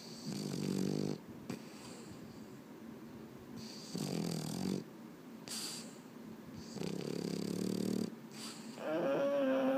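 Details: Sleepless at bedtime, a Boston Terrier makes repeated rough, snorting huffs roughly every two to three seconds, ending in a short, rising, nasal whine.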